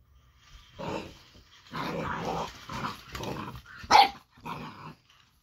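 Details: Reacting to a moving robotic toy, eight-week-old Boxer pup Baron lets out a string of rough growling barks, broken into about six uneven bursts with one sharp yelp near the end.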